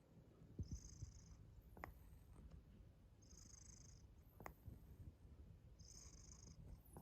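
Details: Domestic cat indoors, low steady purring with sharp popping clicks from its mouth near 0.6, 1.8 and 4.5 seconds; a soft high hiss swells about every 2.7 seconds.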